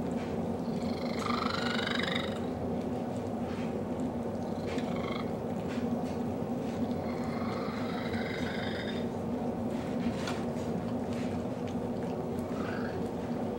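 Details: Male pet cat snuggling with a dog he loves, giving a very strange purr: continuous low rumble overlaid by repeated wavering, whiny high trills lasting a second or so each.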